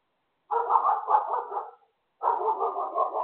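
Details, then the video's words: Neighbour's dogs barking in two sustained bursts of rapid, overlapping barks, the first lasting about a second and a half, a short pause, then a second run; no other sounds. "Inconsiderate neighbor's dogs"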